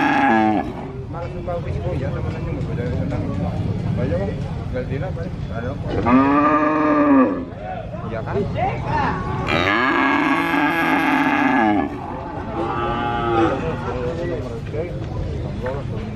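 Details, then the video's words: Calf and adult cattle at a cattle market in Purwokerto, Indonesia; the calf moos repeatedly, a few drawn-out harmonic moos among busy market chatter and crowd noise. "Suara Anak Sapi Asli Moo Seram , Cow Sound Effect Mooo , Suara Sapi Asli di pasar Sapi Purwokerto"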